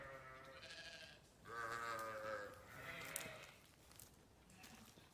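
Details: Sheep grazing on a farm give several wavering, harmonic bleats of moderate pitch, one longer call in the middle, over a background of faint rustling.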